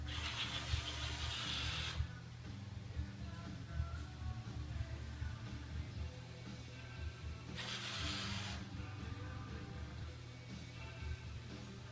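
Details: Music over a steady low mechanical hum, with two loud bursts of hiss near the start and around eight seconds; no animal is heard.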